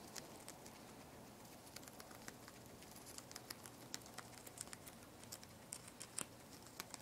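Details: Two-month-old guinea pig Poporn eating lettuce, a steady stream of tiny dry crunches and clicks coming several per second, uneven in rhythm, over faint room hiss.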